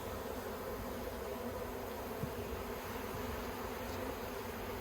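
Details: Bees of an Australian Yellow Hive, 9 October 2021, with plastic frames being handled; a constant humming drone runs unbroken, with a few soft knocks and clicks partway through.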